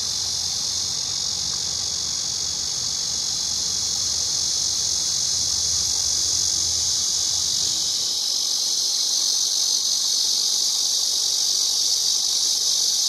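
A cicada sings a loud, steady, high-pitched buzzing drone that never lets up.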